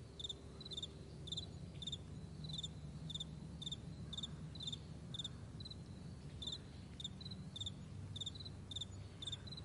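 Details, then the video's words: Crickets on a vast meadow in the morning, recorded 9 May 2020. Short, bright chirps come in quick bursts of pulses, repeating irregularly about twice a second over a steady low rumble like a distant plane. "Morning Crickets"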